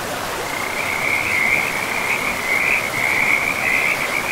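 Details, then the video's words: Frogs by a river deep in a pristine forest with moss-covered land, giving a steady high trilling chorus that swells and rolls on almost without pause, over a constant hiss of flowing water. "River and Frogs sleep sounds"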